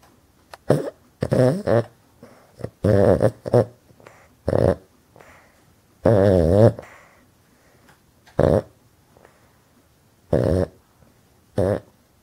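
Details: A male Boston terrier snores loudly, as he does all the time, sleeping with his eyes wide open; loud, rasping, throaty bursts are separated by short quiet gaps.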